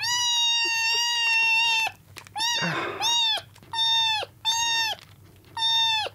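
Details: Rescued kittens, picked up drenched from a road and on their second day in care, vie for milk indoors, giving loud, long, steady harmonic meows that sound almost without pause, then break into shorter cries about every second.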